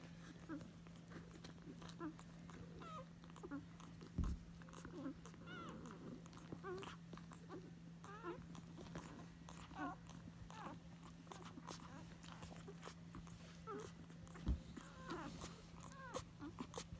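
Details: One-day-old Basset Hound puppies, a litter of eight (six females, two males) born to Berry on February 25, 2022, making many high, squeaky whimpers that rise and fall and overlap, over a steady low hum with two soft thumps.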